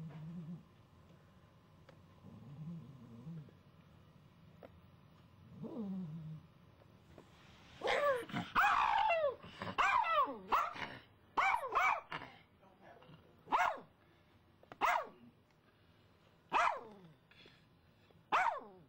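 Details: Pet dog reacting to a squirrel seen in the front yard, having kept barking for hours: low growls and whines at first, then loud sharp barks repeated about every one to two seconds.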